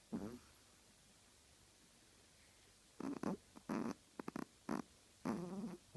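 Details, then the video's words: Snoring Chihuahua producing short, rough nasal bursts, one at the start and then a run of four or five buzzy snorts in the last three seconds, with quiet gaps between. "Чихуахуа храпит"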